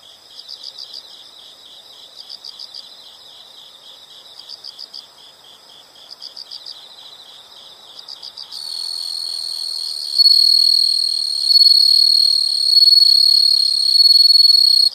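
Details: Insect chorus outdoors: evenly spaced bursts of quick high chirps for the first half, then a steady shrill buzzing trill takes over and grows louder toward the end.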